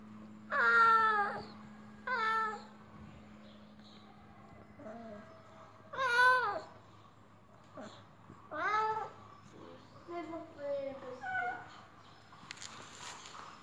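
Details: Male cat that appears sick and makes strange noises, giving drawn-out wavering meows in separate bursts every couple of seconds, some rising then falling, with a low steady hum beneath.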